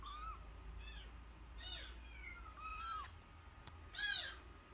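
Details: Crying of a tiny nursing kitten, less than a month old, taken in after it was found at the house gate: four or five short, bent, rising-falling meows, the last one louder and sharper.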